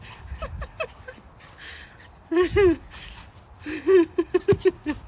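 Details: Pomeranian puppy Hendo, a pet dog born 20 August 2021, on his second birthday: a series of short, high, arching whines and yips, several quick ones in a row near the end, with a faint voice early on.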